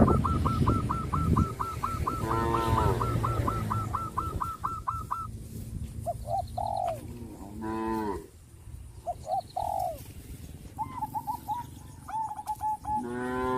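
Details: Traditional tame cattle in a countryside herd calling companions. A long run of quick, hooked, high repeated notes opens, then several short, harmonic moos break through at intervals, with more brief chirps near the end.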